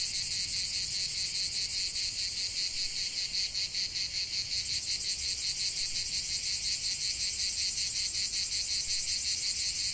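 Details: Cicadas singing in a lavender field: a dense, continuous high buzzing chorus with fast regular pulsing throughout, steady and unbroken, no other sounds.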